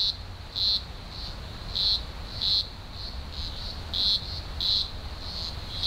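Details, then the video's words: Chorus of thousands of green grocer cicadas at a large emergence, Blue Mountains, Australia, in early October 2020: shrill buzzing pulses swelling and fading roughly every half second to second over a continuous high drone. "Blue Mountains Cicada Chorus"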